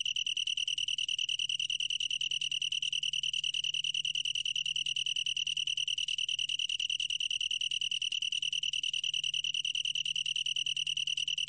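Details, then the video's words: Long-tailed tree cricket in song, from the National Institute of Biological Resources in 2020: a clear, sustained high trill of fast regular pulses, unchanging in pitch, with a soft low background hum. "긴꼬리, 여러번 듣기, 곤충소리"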